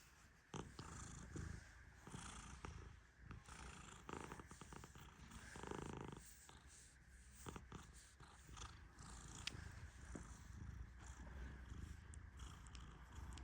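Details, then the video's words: A sleeping Persian cat named Tehran, stroked gently as he naps, gives a continuous deep rumbling snore with rhythmic airy surges, a louder breath near six seconds, and faint sharp clicks throughout. "My Cat Snores Like a Tiny Lion 🦁💤 ¡Mi Gato Ronca Como un León Chiquito!"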